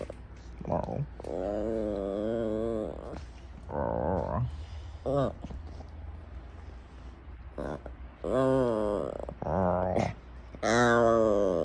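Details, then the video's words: Female puppy making her odd attention-seeking noise: wavering, moaning vocal bursts that warble up and down, several long drawn-out groans broken by short pauses, indoors. "Weird Noise My Puppy Makes When She Wants Attention"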